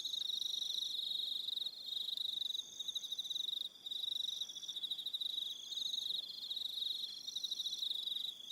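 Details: Crickets on an evening at Aroha Island, New Zealand, keep up a dense, steady high-pitched trilling chorus with pulsed chirps layered over one another; a brief dip near the middle, no other sounds.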